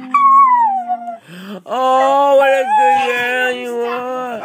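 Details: A pet Chinese Crested dog singing to its owners indoors: a sustained, steady, harmonic howl that breaks off, then resumes as a long, level, wavering tone held for about three seconds.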